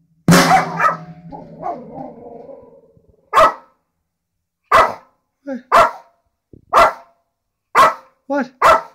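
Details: A dog barks at drums, after a first loud crash; single sharp barks then come about once a second with brief quiet gaps between, while a man urges it on.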